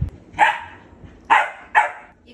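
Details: Domestic dog, a pet Rottweiler kept together with a German Shepherd, gives three short, sharp barks, one alone and then a quick pair about half a second apart.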